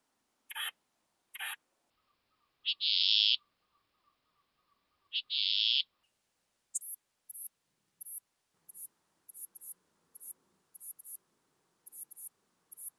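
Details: Western saddle bush-cricket (Ephippiger diurnus) at Bollenberg, France, on 9 October 2022: about a dozen very short, sharp, hissing chirps in irregular groups, plus two longer lower rasping bursts early on, with near silence between.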